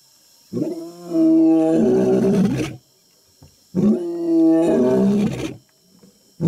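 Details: In an African jungle, a male African lion, said to be roaring to attack, gives two long, deep, rasping roars of about two seconds each, separated by roughly a second of quiet.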